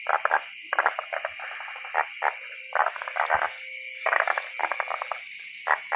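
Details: Many tree frogs calling in rural Thailand or Laos, heard while out catching them: rapid clusters of short rattling clicks and croaks, repeated in bursts about every half second, with a steady high insect drone behind.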